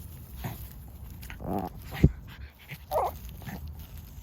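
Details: Puppy fighting desperately so a thing is not taken away from it, giving short rough vocal bursts near one and a half and three seconds, with a sharp thump around two seconds and a quiet indoor background.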